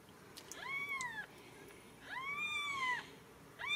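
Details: Ragdoll kittens raised in a home cattery in central Kansas, their sire a seal: three clear rising-then-falling mewing cries with bright harmonics, one after another, each under a second, and a woman speaking softly.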